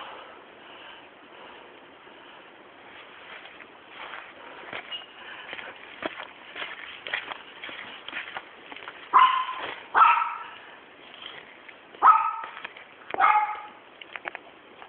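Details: Pet Sealyham Terrier named AKARI, restless and vocal: soft whines and shuffling lead to a run of four loud, sharp barks spaced about one to two seconds apart in the latter half, over steady low hiss.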